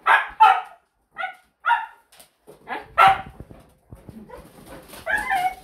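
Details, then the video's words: Pet Siberian Husky giving a series of short, sharp yipping barks in quick bursts, then a longer wavering whine near the end, with a faint background of rustling. "WARNING: You need ear protection when dealing with Huskies!"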